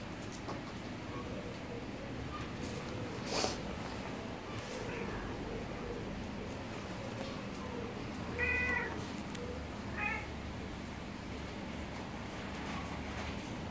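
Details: Two brief, thin cat meows come late, about a second and a half apart, over a constant low rumbling background with scattered soft knocks.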